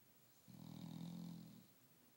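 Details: Dog snoring during a nap, one low rasping snore lasting about a second, then a quieter breath out, in a quiet indoor room.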